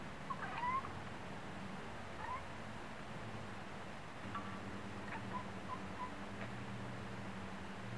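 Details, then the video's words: Female domestic cat at a window, chattering her teeth and chirping after spotting a wood pigeon on a neighbouring roof; faint, short, chirpy clicks come in scattered bursts over a steady low indoor hum. "Cute Cat Chattering Teeth At Birds"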